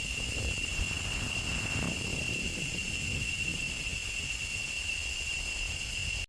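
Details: In the last week of May, with the rains arriving and the cicada season ending, male cicadas give a steady, shrill, unbroken buzzing drone that holds one high pitch throughout.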